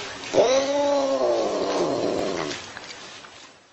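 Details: Talking house cat giving one long, wavering meow of about two seconds that slides slowly downward and fades out.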